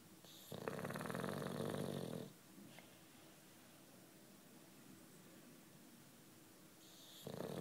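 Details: A sleeping nine-year-old British Bulldog named Juanito gives a loud, rough, rattling snore lasting over a second, followed by a long quiet gap before the next snore begins.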